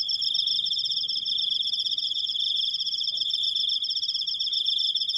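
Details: Cricket in a self-made recording, trilling on and on in a shrill, finely pulsed stream that keeps a steady pitch and loudness, over a quiet low background.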